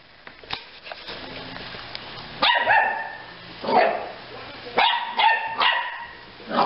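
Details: A pup in the care of an animal relief group barks in loud single woofs at about 2.5, 3.8, 4.8, 5.2 and 5.6 seconds, after a quieter stretch with faint clicks and background noise.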